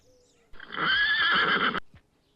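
A pony gives a single loud, quavering neigh lasting just over a second, shrill at first and wavering in pitch before cutting off.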